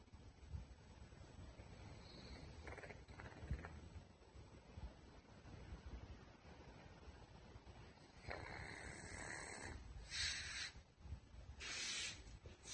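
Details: A pet pug named Putchi, ill with a thymic tumour after an earlier pulmonary oedema diagnosis, snores indoors; quiet breathing first, then broad hissing snore bursts near the end, separated by short pauses.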